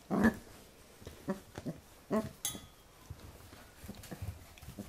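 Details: Corgi puppy, Pembroke Welsh, in play against a hand: one loud rough growl at the start, then scattered softer grunts, a sharp rustle or click burst midway, and quiet handling noise.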